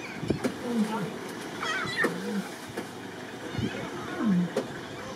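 Lion cubs give short, mewing calls that bend and fall in pitch, trading them back and forth with their mother.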